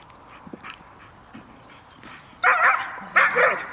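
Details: Cola, a dog from the Gel.vilkas kennel, offspring of Figo vom Nordteich and Tulpi Gel.vilkas, at a training session on 5 May 2015. After quiet background rustling, two loud, sharp barks come about a second apart.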